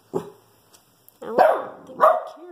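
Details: A male Shih Tzu gives a few sharp, mid-pitched barks at a squirrel outside the house, with a person talking quietly nearby.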